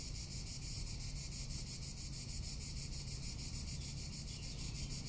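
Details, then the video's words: Cicadas calling in summer in Tuscany: a steady, shrill, fast-pulsing buzz carried through the whole moment, with noticeable wind rumble underneath. "Cicada or Cigarra - Sounds of summer in Tuscany"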